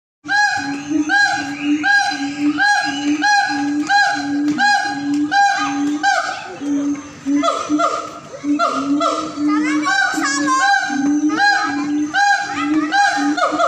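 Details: Siamangs howling at a zoo in North Sumatra: a steady low booming note repeated in pulses, overlaid by loud rising and falling barking whoops and shrieks that build into a dense, excited chorus.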